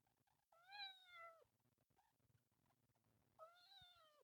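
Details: Loud screaming from a kitten of the temple cat group: two long, drawn-out meows that start high and slide slowly downward, with a short pause between them.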